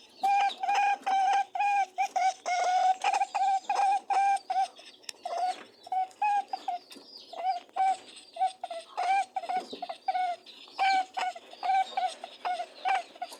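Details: Grunting and honking from mating rabbits: a long train of short, even nasal hums, dense at first, then looser and quieter with soft rustling between the pulses.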